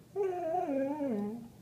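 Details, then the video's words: Lulu, a Beagle–Labrador mix (Beagador) with some vizsla, 'talking' indoors about how her day went: one drawn-out tonal moan that wavers, then slides lower over about a second and a half, in a small quiet room. "Beagle Labrador Dog talking "How Lulu's day went""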